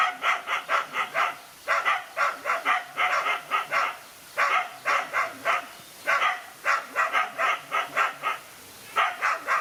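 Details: Dog in a lone fight against two male dogs: rapid harsh barks in bursts of three to six, short pauses between volleys, steady outdoor background hiss.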